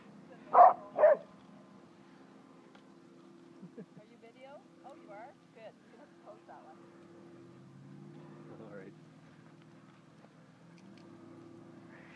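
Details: Yoda, an 11-year-old female Australian Cattle Dog herding sheep, gives two sharp, loud barks in quick succession near the start, then falls quiet while a person softly praises her over a low steady hum.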